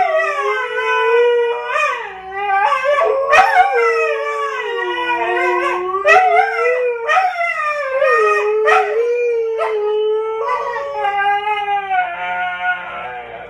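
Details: Two dogs, a Siberian Husky and a Siberian Husky–Akita mix, howl in long, wavering, sing-song tones broken by sharp yips, "singing" when the phone rings and the answering machine picks up.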